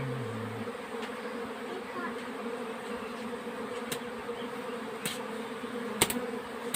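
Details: Honey bees during the summer nectar flow, a steady low droning hum with sustained bands throughout, under broad background hiss and a few sharp clicks near the end.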